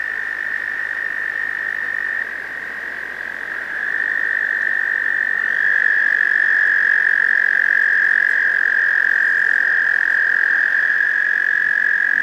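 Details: Male American toads gathered in a pond for the spring breeding season, usually May, give long, steady, high musical trills to attract females.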